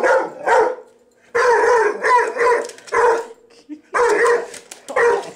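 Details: Pet dog, male, barking in response to a vacuum cleaner: loud, rough, drawn-out barks in about five separate bursts with short silent gaps.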